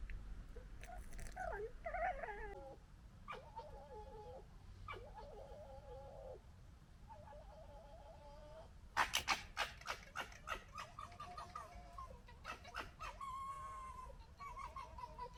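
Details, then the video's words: Foxes gekker while fighting and establishing a pecking order, recorded in 2021. Faint wavering whines and squeals come first, then a burst of loud rapid stuttering clicks and chatter, ending in warbling squeals. "Fox Gekkering And Funny Noises"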